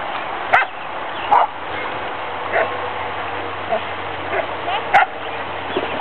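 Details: Dogs down at a creek, short sharp barks and yips scattered through the clip, roughly one every second, over a steady background hiss.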